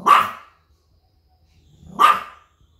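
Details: Small Pomeranian dog reacting to noises from outside, guarding its territory. Two loud, ringing single barks, about two seconds apart, with silence between.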